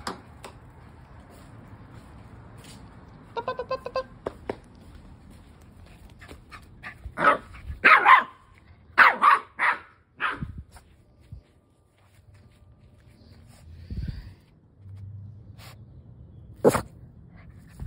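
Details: Keeshond puppy running around and slipping on a rainy day, giving short sharp barks and yips in a cluster of about five around the middle, then a single bark near the end, with scuffling between them.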